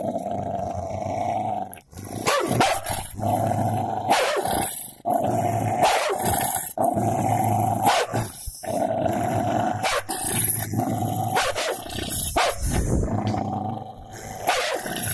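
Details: Golden Labrador fighting a cocker spaniel: steady rumbling growls throughout, repeatedly broken by sharp snaps and clicks of teeth every second or two.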